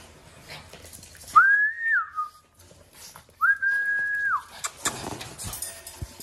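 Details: French Bulldog puppies playing indoors: two drawn-out, whistle-like whines, each about a second long, holding a steady high pitch before dipping at the end, separated by a short pause, with scuffling play noises around them.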